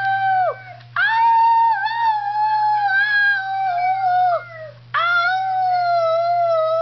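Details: Howling Schnauzer Piper gives wavering, sustained notes with slight dips in pitch, breaking briefly and then resuming on a slightly lower held tone; low electrical-sounding hum in the background.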